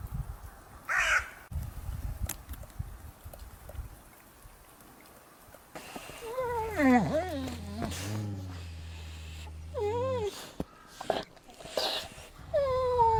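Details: Wild grey wolves of a pack in Norway fighting: wavering, yelping whines and whimpers that rise and fall in quick wobbling arcs, separated by short pauses, with low rumbling noise and rustling beneath.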